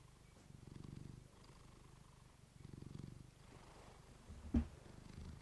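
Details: A female house cat's soft, low purr recorded up close with a fluffy microphone, rising in two gentle breathing swells, then a sharp brief click or tap near the end.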